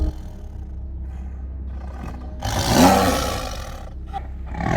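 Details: Tiger roar, a call used to mark territory and audible up to 2 miles away; after a quiet, hissy start, a single broad rasping burst swells near the middle, then fades with a shorter rough tail.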